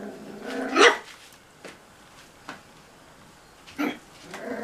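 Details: Cocker Spaniel puppies playing in a bathroom: one loud short yelping bark near the start, then a few softer yips and clicks spaced over several seconds in a small echoing room.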